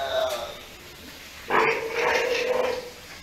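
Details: Steller sea lion pup, six days old, at an aquarium in Ise, Japan: a drawn-out, harmonic, bleating cry lasting over a second, rising then holding steady, after quieter voice-like sounds at the start.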